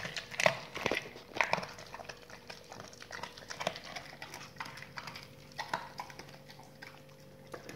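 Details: Dogs eating raw meaty salmon bones and raw chicken carcasses, recorded close for ASMR: scattered sharp crunches and wet bites, loudest in the first two seconds, then softer gnawing with a faint steady hum behind.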